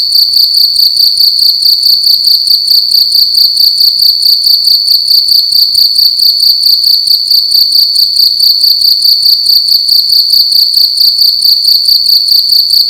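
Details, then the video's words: Indoor cricket at night in a room, sounding loud: piercing high trill pulsing quickly and evenly without a break, steady in pitch and volume, quiet background. "Cricket making loud sounds at night in a room"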